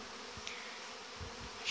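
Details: Honey bees on the young bees' orientation flight at the hive entrances in August, 17 August 2019; a dense, steady, hissing buzz of many bees fills the whole clip, with a few soft low thumps.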